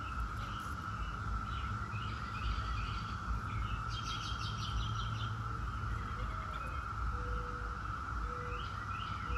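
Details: Brood X 17-year periodical cicadas in a continuous, steady droning chorus that holds at one pitch throughout, with scattered short bird chirps above and a low rumbling background noise.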